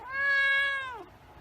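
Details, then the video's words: A white pet cat gives one long, level meow that holds steady then drops in pitch as it fades, with only faint background hiss afterward. "White Cat Meowing"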